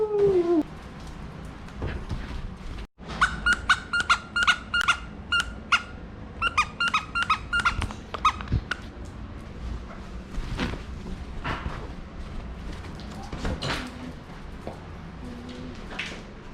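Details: Basenji dog playing with newly brought home toys while another Basenji is nearby: a run of rapid, squeaky, high-pitched whining yelps over several seconds, followed by scuffling, thumps and quieter household sounds.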